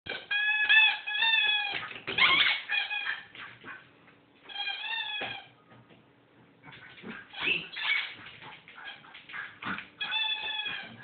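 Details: A four-month-old Bedlington Terrier pup named James in a sudden playful frenzy, racing around with toys: high whining yelps with stacked harmonics in bursts, mixed with scuffling and thumps of play.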